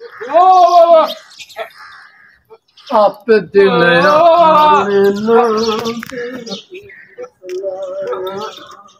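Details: Goats in boundless fields, heard as a loud wavering bleat followed by a long, drawn-out, lower quavering cry lasting several seconds, then a softer bleat at the end.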